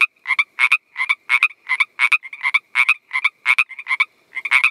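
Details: A Pacific chorus frog (Pseudacris regilla) gives raspy two-part 'rib-bit' notes, repeated quickly in a steady series.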